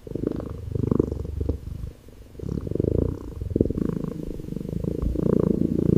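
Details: Calico kitten resting on wooden stairs, affectionate and calm; steady low rumbling purr throughout, pulsing in waves with a brief dip near the middle, no other sounds.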